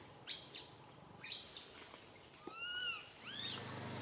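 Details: Little monkey Santo, perched on a branch, cries so loudly that mother Sara cannot tend him: sharp shrill squeals, then a drawn-out arching whine and a final rising screech.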